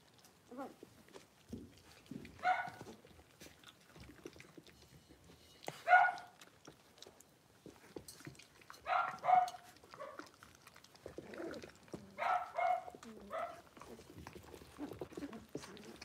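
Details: Six-week-old blenheim Cavalier King Charles Spaniel puppies, a litter of five born on New Year's, in an indoor puppy pen. Short, bright harmonic yips and whimpers come in scattered bursts every few seconds over soft rustling.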